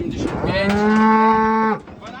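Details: Weaned Limousin calves, young bulls newly penned, give a loud sustained moo with a steady rich harmonic tone lasting about a second, ending abruptly, with quiet background afterwards.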